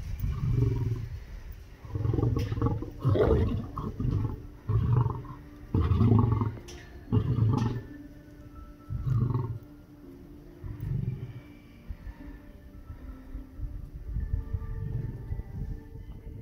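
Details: Male lion in a Crimean safari park, courting lionesses, delivers a full roaring bout: loud deep moans then a series of short grunts, coming about every one to two seconds and fading toward the end.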